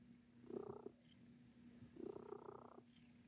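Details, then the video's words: Sir Titan, a domestic cat, purring while kneading, making biscuits: two steady rumbling purr phrases, each lasting about a second, rising and falling with each breath and separated by a short quieter gap. "Cat Making Biscuits"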